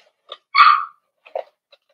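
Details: Cavalier King Charles Spaniel puppy, four weeks old, in Daisy's indoor puppy pen: a short, bright, high-pitched yelp dropping slightly at its end, with faint squeaks and small scuffling sounds around it.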